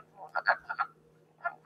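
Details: Wood frog in early spring (April 1), recorded outdoors near a pond, giving short, hoarse, duck-like clucking croaks in a quick cluster of four, then one more after a pause, over a faint steady hum.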